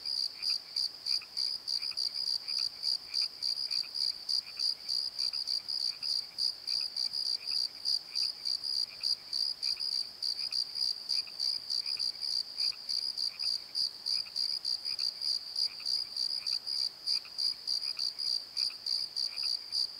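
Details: Crickets calling at night in a valley bottom, chirps pulsing steadily around three times a second with a bright high tone and a fainter overtone above, a softer lower chirper also present, continuous throughout.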